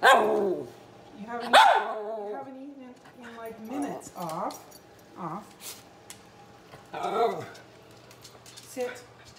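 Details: Male miniature red poodle, hungry and begging for food, gives a string of short wavering whines and yelps, some rising then falling, at uneven intervals while a person talks to him in the room.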